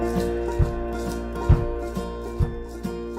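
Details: Music with steady sustained tones and soft low thumps about once a second; no animal sound is heard.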